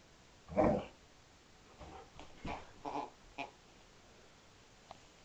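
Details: Female Alaskan Malamute indoors on Christmas morning, 25 December 2012, with her presents: one loud, short, throaty groan near the start, then a few softer grumbling huffs and faint rustles over a steady background hiss.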